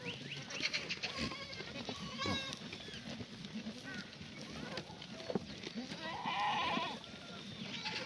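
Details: Black goats at a free-range, antibiotic-free farm yard near Muchuksan in Gimhae, South Gyeongsang, Korea, on a clear June 2019 morning. Scattered bleats mix with dense noise, and a louder quavering bleat comes near the end.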